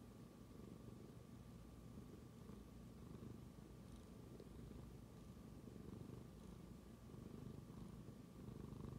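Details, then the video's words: Indoors, a tabby cat purrs after smelling its owner's phone, a continuous low rumbling purr sustained for about nine seconds with gentle pulsing, over a faint steady background hum. "Tabby cat suddenly starts to purr after smelling my phone"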